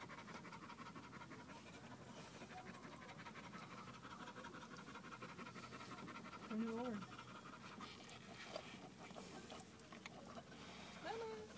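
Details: Venice, a female dog in labour delivering puppies, pants fast and continuously, about four breaths a second, with a person's soft encouraging words heard faintly in the middle and at the close.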